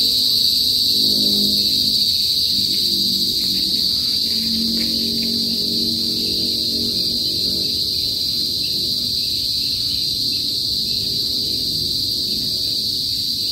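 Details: Kuliglig, the Philippine cicadas of a northern province in the Philippines, which call loudly before sunset. A loud, steady, high-pitched drone holds at one pitch throughout, with faint, low murmuring sounds underneath.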